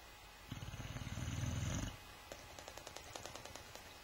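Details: Boxer dog asleep and snoring with lips flapping: a low, pulsing rumble building for over a second, then a string of soft rapid lip-flap clicks trailing off.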